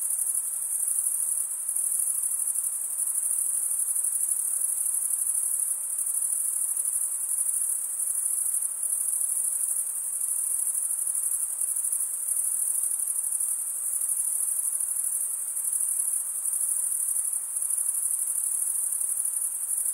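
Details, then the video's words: Male crickets stridulate with their wings, producing a dense, piercing high trill that never stops, pulsing faintly in strength every second or two over a quiet background hiss. "Most relaxing cricket sound"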